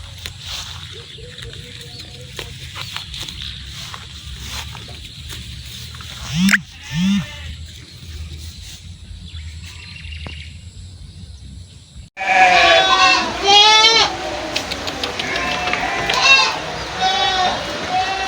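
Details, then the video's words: Goat bleats outdoors: after a long stretch of quiet rural background and two brief low bleats, a loud run of high, wavering, harmonic bleating begins and continues in repeated bursts to the end. "Goat Sounds & Goat Pictures 2023 ~ The Sound A Goat Makes"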